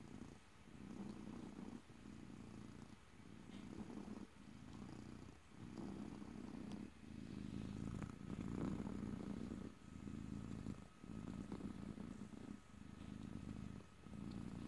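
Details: Domestic cat purring steadily up close, a low rumbling drone broken into breath cycles roughly every second, with soft pauses between inhale and exhale; quiet indoor setting, no talking.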